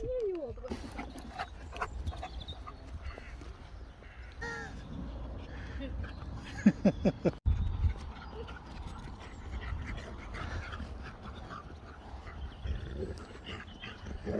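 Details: A Siberian Husky in a vehicle at a Starbucks drive-thru gives brief, wavering, rising-and-falling howls at staff for a puppuccino, mixed with people talking and engine rumble.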